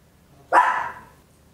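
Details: Single loud, sharp bark from a tiny Papillon dog, recorded at home in stereo with an Olympus LS-11; one burst of about half a second fading quickly, set against a quiet indoor background.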